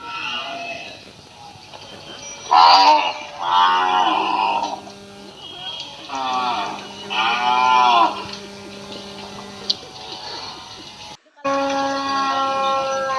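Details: Village cattle calling: a series of rich, bending moos rising and falling in pitch, four main calls spaced a couple of seconds apart, with a steady hum underneath and an edit break near the end.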